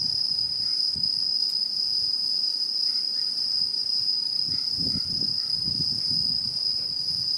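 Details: Autumn insect chorus from Japanese satoyama, 2016: a constant high, tonal ringing trill, a few soft mid-pitched chirps, and low rustling or rumbling sounds in the second half.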